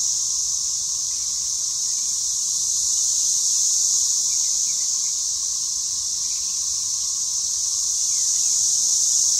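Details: Cicadas in a spring 2015 emergence, filmed in a front and back yard, described as deafening: a steady, unbroken high-pitched droning chorus, constant in loudness throughout, with a faint lower hum beneath.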